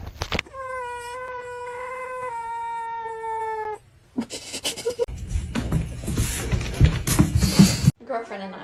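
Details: Kitten gives one drawn-out meow of over three seconds, a steady harmonic tone that slowly falls in pitch, followed by noisy thumps and rustling.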